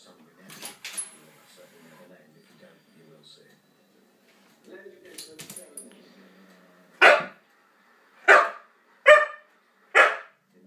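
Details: A husky playing with a cat: after quiet murmuring voices, four loud, sharp barks ring out about one second apart near the end.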